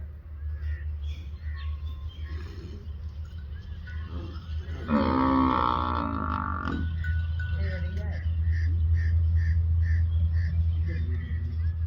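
A water buffalo gives one deep, drawn-out bellow over a steady low hum and faint music.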